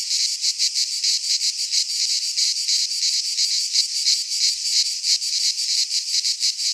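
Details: Greek pine-forest cicadas in midsummer produce a loud, sizzling high-pitched buzz, broken into fast rhythmic pulses of slightly varying strength; only insects are heard.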